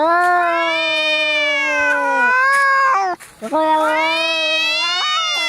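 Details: Angry cats in a fight, played to chase rats away: a sustained wailing yowl, a brief pause, then another long yowl that lifts sharply in pitch.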